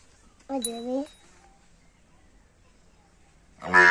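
A water buffalo calf gives a short, nasal, slightly rising bleat, then starts a louder call.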